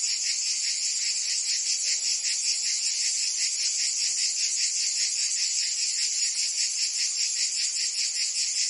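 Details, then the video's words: Cicadas singing in summer in Provence, France: a dense, continuous high buzzing chorus pulsing rapidly and steadily, with no other clear sounds. "Cicadas singing in France (Provence)"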